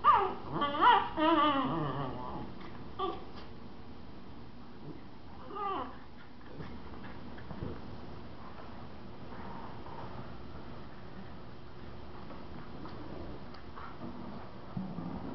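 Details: Two Miniature Schnauzers, a mother and her four-month-old puppy, playing indoors in a living room. Within the first two seconds come several short whines and yelps with wavering pitch, followed by a long stretch of quiet room sound with faint scuffles.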